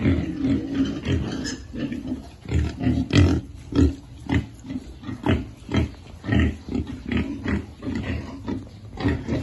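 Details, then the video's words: Piglets at feeding time keep up loud, rhythmic grunting, one short deep grunt about every half second, with occasional harsher, rougher grunts mixed in. "Feeding lovely piglet"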